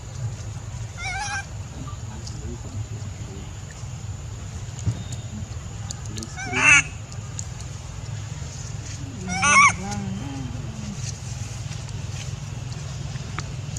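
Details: Baby male monkey crying loudly out of anger at his mother; three brief, high, harmonic wailing cries several seconds apart, over a steady low hum with faint human voices.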